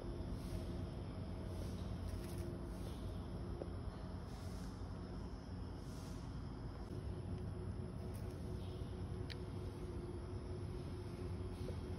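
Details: Steady low rumble of passing vehicles and outdoor urban background noise in the morning, with no animal calls audible.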